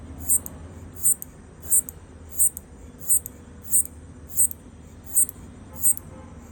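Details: A locust stridulating, said to be communicating with its partner, recorded on an iPhone; sharp, very high, brief clicking rasps repeated evenly about every 0.7 seconds, nine in six seconds, over a faint low background hum.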